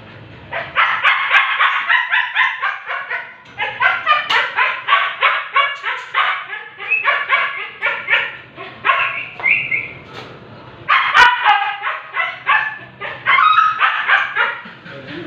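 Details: Siberian Husky during an artificial insemination session, vocalizing at length. Fast strings of tonal, whiny yips and howl-like moans come in bursts of several seconds with brief breaks. A short sharp knock occurs midway.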